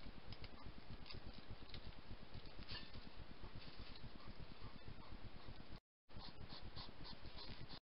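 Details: A grumpy European hedgehog, filmed at night by a wildlife camera in a garden in spring, huffs and puffs in a fast, steady stream of low, breathy snorts.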